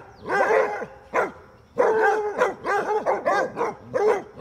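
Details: Playful basset hounds, females chasing a male, let out rich, howling bays and barks. One long bay opens the run, then a lone bark and a quick string of overlapping barks follow in uneven bursts.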